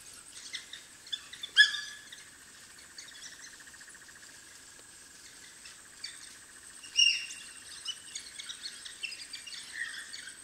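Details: Pups of the African wild dog calling at their den: a few sharp, high squeaks, loudest near the start and again later, with quieter twittering between and a constant insect drone behind.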